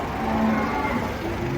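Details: Giant cattle, one of three raging as they come off a truck at a busy market, give a brief low, drawn-out moo with steady harmonics under constant crowd and vehicle noise.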